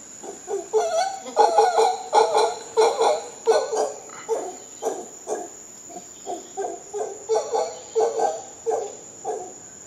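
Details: Costa Rican howler monkeys calling in a long, rhythmic chorus of gruff, barking grunts, repeated roughly every half second with brief pauses between bouts, over a constant high-pitched insect drone.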